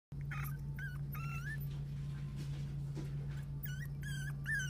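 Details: Dog at a pet shop giving short, high, whining whimpers that bend and slide, in a cluster near the start and again near the end, over a steady low electrical hum.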